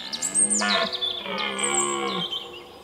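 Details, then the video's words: A red deer stag during the 2017 rut at sunrise in the Weerterbos, Netherlands, gives a long, deep, moaning roar, with small birds chirping high above. "Edelhert Weerterbos"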